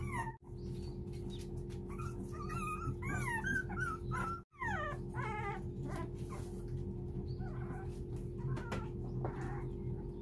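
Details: Four-week-old puppies pleading for their mother to come in as she distances herself to wean them; repeated thin, wavering whines, rising and falling in rapid strings, over a steady electrical hum with a few knocks.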